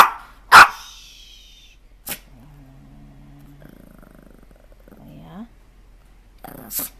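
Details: Dog indoors giving one sharp, loud bark, followed by a low, steady droning growl-like tone and a rougher pulsed sound, with a woman exclaiming and talking to it.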